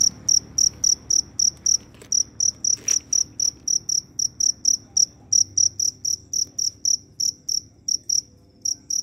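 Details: A cricket gives loud, high, pure chirps, about three or four every second, roaming to find a mate after rain has fallen.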